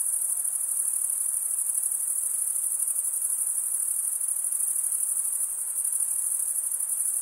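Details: Steady chorus of chirping crickets, produced by males scraping serrated wing veins together, forming an unbroken bright, high trill that pulses rapidly and evenly throughout, with a low wash of background noise.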